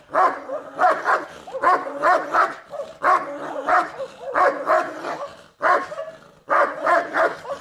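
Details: Central Asian Shepherd Dog (Turkmen Alabai) in a territorial guarding test barks repeatedly in loud, gruff doubles and triples, with barely a second between bursts and one clear pause near the end.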